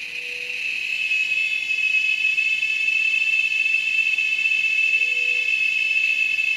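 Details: Cicada at an Amazon nature lodge: a steady, shrill, high whine holds without a break, with a few soft, low, brief tones in the background.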